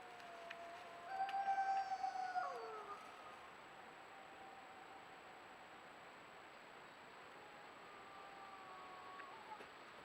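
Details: Wild wolves in the Yukon recorded by a trail camera: a few long, steady howls that slide downward at the end, separated by pauses, over a constant background hiss with a thin high tone.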